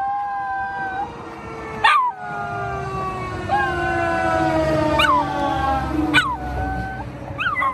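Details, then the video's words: Ginger, a Miniature Schnauzer, howls in answer to a fire truck siren: long drawn-out wavering notes that break upward into sharp yelping peaks several times, over the siren's steady falling wail. "Mini Schnauzer howling"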